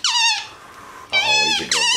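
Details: MonkeyBoo, a pet capuchin monkey chatting while resting on his leather couch, gives high, squeaky descending calls: one near the start and two more close together in the second half, with a quiet gap between.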